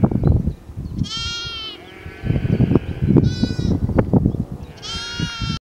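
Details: Lamb with a fox nearby, bleating three times in a few seconds: loud, quavering, nasal cries rich in harmonics, with a softer drawn-out bleat between the first two, over constant low rumbling and rustling noise.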